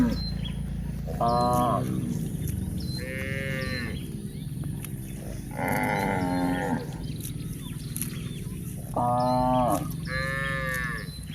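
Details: Village cows in a herd grazing on pasture, mooing repeatedly: five nasal, harmonic moos roughly every two seconds, some rising then falling, against constant low background noise.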